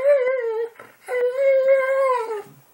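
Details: Pet Boxer dog talking, two drawn-out howling moans, the first wavering and dropping, the second longer and steady before sliding down at the end, with a short breath between them.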